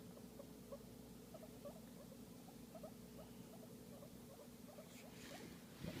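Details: Guinea pig being massaged utters faint, brief squeaks in a loose series, ending with a burst of rustling handling noise over a low hum.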